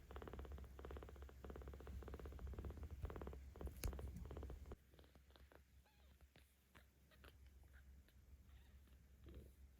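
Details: Young kitten, 17 days old, in Tama City, Tokyo, purring while petted; strong rumbling purr for about five seconds, then it fades to quiet with light clicks and rustling.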